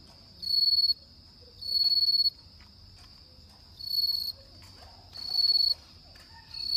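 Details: On an autumn night a bell cricket repeats high, shimmering trilled bursts, each about half a second to a second long with gaps of around a second between them. Five phrases are heard, with faint soft background noises.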